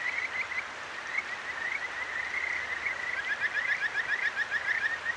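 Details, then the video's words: Kajika frogs at a clear stream in Akigawa Valley, Tokyo, at night, recorded with a ZOOM H6: scattered bright chirps build into a faster rippling run of rising notes near the end, over the steady wash of water. "清流の歌姫 カジカガエルと川のせせらぎ"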